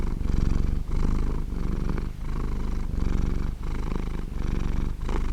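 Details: Soft, steady purr from a happy domestic cat: a deep, grainy vibration of rapid pulses that pauses briefly about every 0.7 seconds as the cat breathes in and out, with clean, quiet surroundings.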